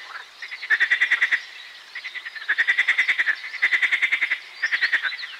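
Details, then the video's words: Marsh frog song as quick trains of about eight clicking pulses, each lasting under a second. Four trains come in steady succession over a faint chorus. "Песня озерной лягушки Pelophylax ridibundus"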